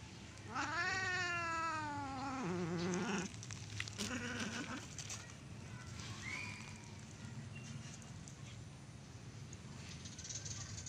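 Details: A cat in a garden, where a neighbour's ginger cat has entered and the resident cats react to the stranger. One long drawn-out yowl falls slowly in pitch over about two and a half seconds. A shorter, lower call follows, then quiet background noise.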